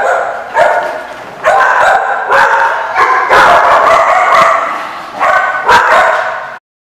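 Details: Repeated harsh dog barks recorded 7/10/15, coming in loud bursts roughly once a second, with some barks running together into a rough, continuous volley before stopping abruptly.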